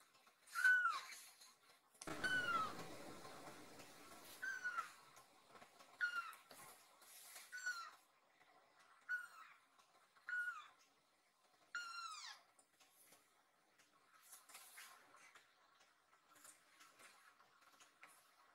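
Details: Nan-chan, a rescued baby kitten, climbs onto its owner resting on a sofa, seemingly worried, and calls loudly as if asking 'are you okay?'; about eight high, downward-sliding meows at irregular intervals indoors, with a rustle early on.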